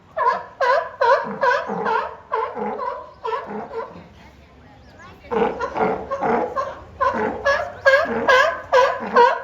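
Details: Two California sea lions at Higashiyama Zoo and Botanical Gardens, 10 April 2024, calling out to each other in a vocal contest: rapid gravelly barks, a short quiet gap, then a denser, overlapping volley of harsh honks from both animals.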